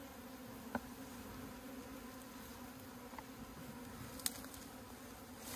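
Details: A colony of honey bees hums inside a hive opened for its honey in Puning, Guangdong, China. The droning is even and unbroken, and a few sharp clicks or knocks from handling the hive cut through it.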